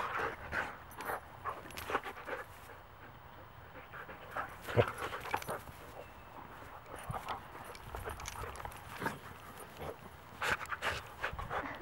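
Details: Wolfdogs playfighting while Mango, a 12-year-old Great Pyrenees mix, steps in to break it up; scattered short, rough bursts of growl-like snarls and scuffling, some brief whiny tones, louder flurries near the middle and end, quiet between.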